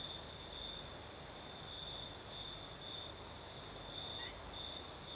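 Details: Night chorus of crickets in the south of Crimea, breeze blowing: continuous high trilling in short repeated pulses over a constant hiss and diffuse rustling wind noise.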